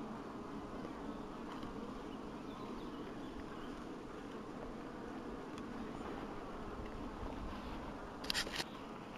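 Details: Steady low buzzing of honey bees in an apiary in 2012, a continuous drone with a brief clicking rattle near the end.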